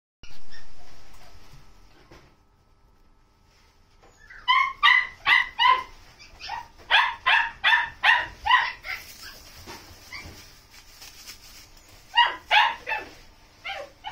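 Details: Female Shiba Inu with a red coat, born 10 August 2021, barks in a quick excited series. Short sharp yips come several per second from about four to nine seconds, then another burst near twelve seconds. A short thud is heard at the start.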